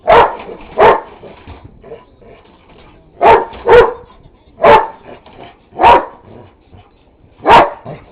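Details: Buddy, a neighbor's dog, barks at a vacuum cleaner that is not even switched on: seven sharp, loud barks, a quick pair at the start and another near three seconds, then single barks about a second apart, with quiet between.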